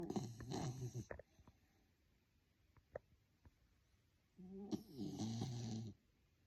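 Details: A sleeping Miniature Schnauzer puppy snores during a nap indoors: a rough, buzzy, low breath-rattle lasting about a second, then near silence, then another long raspy snore of about a second and a half.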